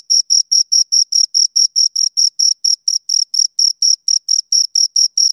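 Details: Two crickets chirping, a high, clean pulsed trill of short chirps at about four per second, steady and unbroken over a silent background with no other sounds.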